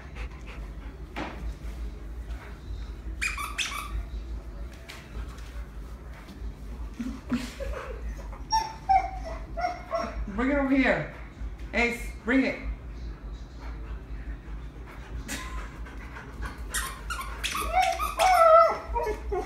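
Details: Husky crying and whimpering, apparently not wanting the deer squeezed; scattered high squeaky whines and yelps, some short falling wails, with occasional soft knocks and a person talking now and then indoors.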